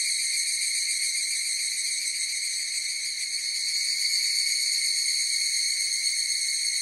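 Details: Chorus of evening cicadas (higurashi) in full cry: a steady, high, ringing tone with stacked overtones and a faint rapid pulsing, unbroken throughout, with no other animals, voices or music heard.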